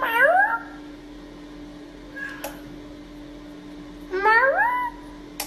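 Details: Domestic cat from a funny-cats compilation giving two drawn-out, rising harmonic meows about four seconds apart, over a steady low hum with a sharp click between them.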